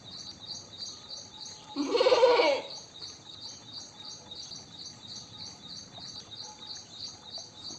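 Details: A single drawn-out, tremulous goat bleat near the start, then only rapid, regular, high insect chirping in the background.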